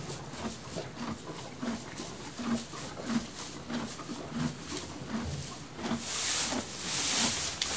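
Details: Munching horse in its stable, repeated dull crunches of hay at a steady pace, then a burst of loud rustling hiss near the end as it shifts in the straw.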